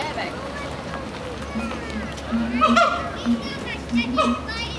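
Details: Siamang calling: short, clear hooting notes repeated roughly every half second to second, with brief higher whooping notes above them, over a murmur of distant human voices.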